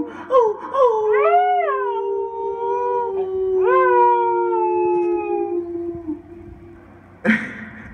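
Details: A Siberian Husky howls along with a person during a break from playing music, in long, wavering tones that rise, then hold and slowly fall.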